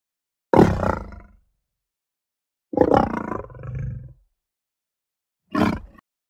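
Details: Three separate deep lion vocalisations: a heavy roar, a longer roar that trails off into a second rumble, then a short gruff grunt, with silence between them.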